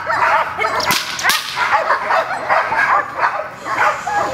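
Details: Female dog Gold working with an unfamiliar decoy during protection training; dense, overlapping excited yelps and whines run almost without pause, with two sharp slapping cracks near the start.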